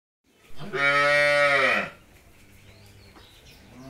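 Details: Jersey cow that has calved for the second time, kept with her bull calf at a dairy farm in Pabna, Bangladesh; one loud, drawn-out moo of about a second and a half, richly harmonic and dropping at the end, then near silence.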